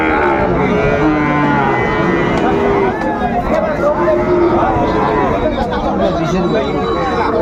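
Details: Sahiwal breed bull calves lowing at a crowded Bangladeshi cattle market, February 2025, a Kushtia farmer buying: several long, droning moos with bending pitch overlap steady human chatter and haggling.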